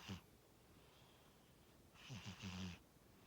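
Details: Pet cat Tora asleep and snoring: one brief rasp at the start, then a longer fluttering, rattling snore with breathy hiss near the end, low-pitched and soft in a still room.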